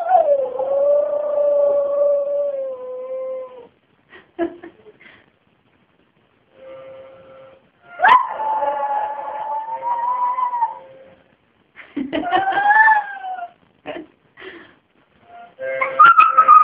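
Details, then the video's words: Roxy, a dog, howls along with a harmonica: long sustained wavering howls that slide slowly downward and hold steady, broken by short whimpers and yips, with the harmonica's steady held notes in between. "Roxy Singing"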